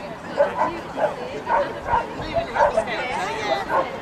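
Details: Short yapping barks about twice a second, loosely repeated, from Pembroke Corgi Eddie at an outdoor agility show held with the Shire Horse Show, East of England showground, March 21st 2010; a man's voice and background music.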